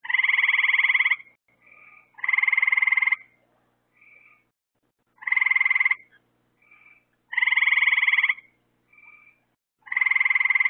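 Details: At night, with lights drawing bugs for the frogs, a frog repeats loud buzzy pulsed trills about a second long every two to three seconds. Softer short chirps sit between them, and nothing else intrudes.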